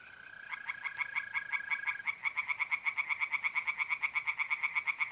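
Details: Singing tree frogs at a pond, a mid-April night in North-East Italy: rapid rhythmic rasping pulses build and carry on steadily, with a mole cricket trill audible during the opening seconds.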